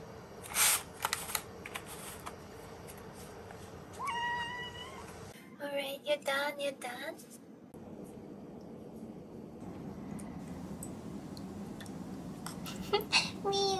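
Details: A four-month-old female kitten at home after her breakfast, during a daily morning routine: a short, high, slightly rising meow near the middle, then a brief second call, amid clinks, rustling and steady indoor background noise.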